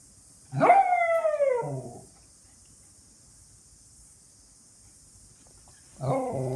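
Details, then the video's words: Pet Miniature Schnauzer barking from excitement when expecting food or a walk: a long, drawn-out, falling howl-like bark lasting over a second, then a quiet gap, and a second bark starting near the end. "Miniature Schnauzer barking"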